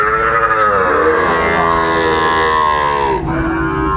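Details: Sahiwal bull at a cattle market in Brahmanbaria, 31 May 2024: one long, loud, harmonic moo lasting about four seconds, steady then dipping near the end, with market noise underneath.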